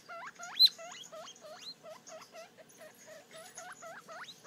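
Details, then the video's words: Three-day-old guinea pig pup squeaking at its mirror image, a fast series of thin, rising chirps that hook upward, steady and insistent throughout. "Baby Guinea Pig Looking At Their Reflection"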